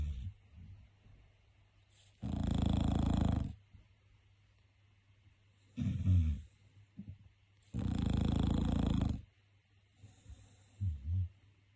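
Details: Bulldog snoring, perhaps awake or asleep: deep, rasping breaths, two long loud snores over a second each alternating with two shorter, softer snorts, roughly every four seconds, with quiet pauses between.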